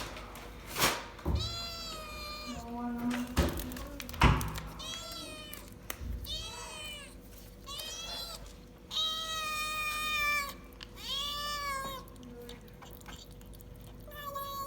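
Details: Domestic cat making funny sounds while eating a treat for the first time: a run of harmonic, arching meows and wavering mewls, several drawn out, some rising then falling, with thumps and clicks of eating between them.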